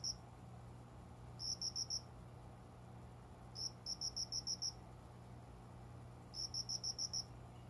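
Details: Indoor cricket by a window's small plant corner at daybreak in summer, heard but not seen; clusters of five or six shrill, ringing pulses come in bursts separated by quiet gaps, over a constant low hum.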